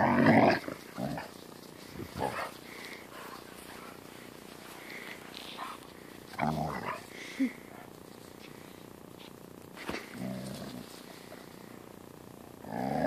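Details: Siberian Husky, angry at a German Shepherd puppy playing with it: short rough growling bursts at the start, middle and end, separated by quieter stretches of scuffling and faint voices.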